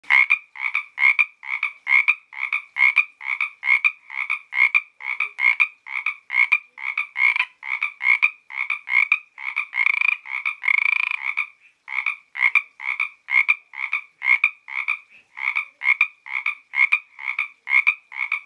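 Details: Frogs calling along the Santa Ynez trail in Toganga State Park: a steady run of short, rasping double-pitched croaks about once a second, overlapping from several callers, with a brief noisier burst near the middle.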